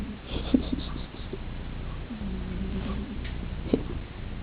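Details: Spooky, a Persian cat, snoring while asleep in his bed on a chair by the fireplace indoors: low, rough rumbling breaths with one drawn-out droning snore midway and a few faint soft clicks.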